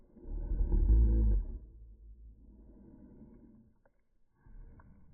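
A cocker spaniel's sneeze, slowed down into a deep, drawn-out, rumbling burst.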